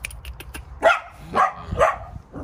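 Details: Maltese x Chihuahua cross confronting a mastiff, giving high-pitched barks: three sharp, bright yaps spaced about half a second apart after faint clicks, with low household rumble beneath.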